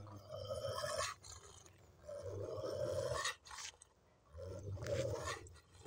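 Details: Dogs fighting: two 60 kg Cane Corsos and a passing Dogo Argentino of about 50 kg, which turned aggressive toward one Cane Corso. Three deep, rough growling bursts, each about a second long, separated by short pauses, with scuffling noise between.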